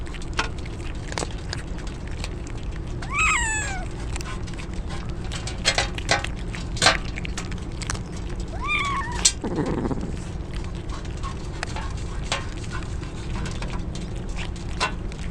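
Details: Stray kittens soaked in rain as a typhoon approaches, crying out: two short rising-falling meows several seconds apart, over steady rain patter and dripping clicks.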